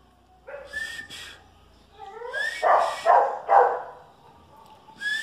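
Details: A Chihuahua and a dachshund in a standoff, with rising whiny yelps sliding upward, followed by three loud, harsh barks and a final high yip.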